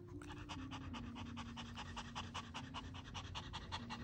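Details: Maltese dog Dubu, ten years old, indoors, full and content after finishing a meal, shortly before hospital admission for spay and mammary surgery; quick rhythmic panting, about two and a half breaths per second, over a steady low hum.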